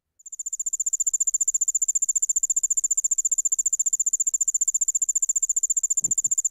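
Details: Allard's ground cricket (Allenius allardi), one of the Midwest's singing insects, giving its typical song: a high, rapid, steady chirping trill of evenly repeated pulses.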